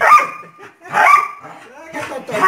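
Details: Bull Terrier named Thor, playing: two short, bright yelping bursts with a held tonal whine, then a softer third cry, while a person talks over the dog throughout.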